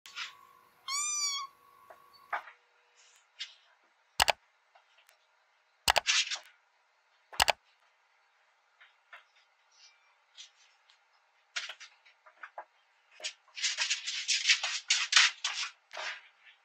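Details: Kitten exploring a new house and taking a fall, indoors: one clear high, harmonic meow rising then falling near the start, followed by sharp thumps, scattered knocks and rustling, with a burst of scratchy clatter toward the end.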